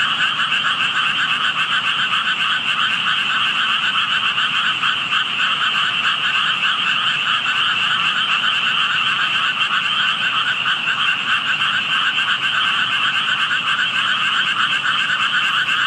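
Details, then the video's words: Unseen frogs calling where only tadpoles could be spotted, noticed by a passer-by; a long, steady wall of overlapping croaks, fast pulsing and trilled, with no pauses, carrying a bright upper buzz and a fuller lower tone. "개구리 소리"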